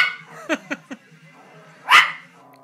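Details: Poodle indoors barking while watching a bull on television: three soft short yelps, then one loud sharp bark near the end, with a low steady hum in the background.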